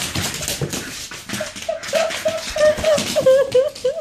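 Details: Staffordshire Bull Terrier named Dino having fun indoors, giving a run of short whiny, wavering vocal notes that rise and fall, growing stronger and more tonal toward the end, with broadband rustling and thumps throughout.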